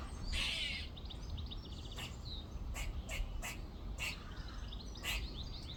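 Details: Back-garden squirrel up a tree giving a series of short, harsh, noisy bursts, about eight spaced irregularly across several seconds, over a background of small birds twittering and steady outdoor noise.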